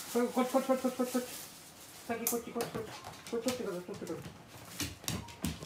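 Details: A Golden Retriever whines in short, pulsing, nasal bursts indoors, followed by knocks and thumps, while waiting, perhaps for the father of the house to come home; Golden Retriever.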